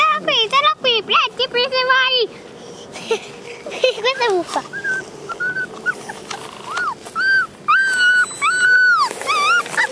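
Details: Thirty-day-old Vizsla (Hungarian pointer) puppies from one litter; many short rising and falling whines, yips and squeals overlap, some high and tonal, from several pups at once, with faint speech in the background.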